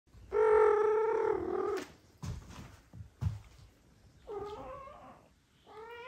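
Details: Domestic cat household where a mother cat no longer wants to feed two foster kittens and the father cat steps in; a loud, drawn-out harmonic meow, then short thuds and rustles, and two softer meows near the end.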